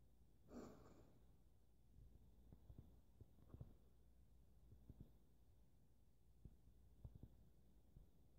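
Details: Grumpy pet hedgehog, freshly bathed, huffing under a towel indoors: a soft breathy puff near the start, then scattered short, quiet clicking huffs and snorts at irregular intervals over a low background hum.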